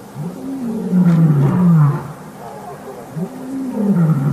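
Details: A Matimba coalition male lion roars amid the Birmingham males' takeover challenge, August 5, 2015. Two drawn-out, deep roars each rise briefly and then sink steadily in pitch, the first long and loud, the second starting near the end.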